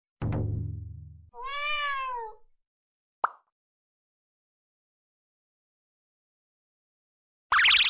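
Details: Domestic cat meowing indoors after a short play session, its ears flattened back. One clear meow about a second long, rising then falling in pitch, follows a low buzzy rumble; a sharp click comes next, then a loud burst of noise at the end.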